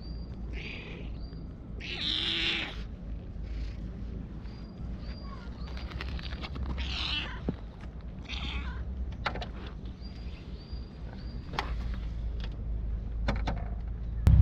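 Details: At a shrine in Japan, a stray cat recorded on a GoPro gives three drawn-out, strained meows spaced several seconds apart. Footsteps, rustling and thin high whistles fill the gaps, with a sharp knock at the end.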